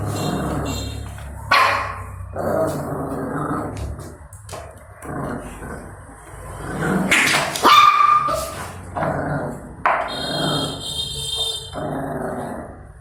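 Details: Two puppies fighting over food, one barking angrily; short sharp barks and yips come in irregular bursts with whimpers between, mixed with clattering and other household noise.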